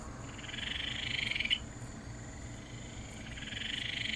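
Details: Ryukyu Kajika frog from the Amami and Okinawa islands giving a high trilling call that swells for about a second and a half and stops with a click, then starts again, over constant low background hum.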